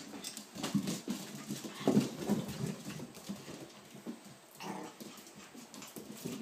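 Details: Ava's seven-week-old puppies playing indoors, letting out rapid, rough little barks and yelps in irregular bursts over the first few seconds, then a brief whine, while a person talks softly in the background.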